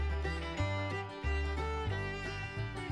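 Lively fiddle music with a steady bass line plays throughout, and no animal sounds can be heard.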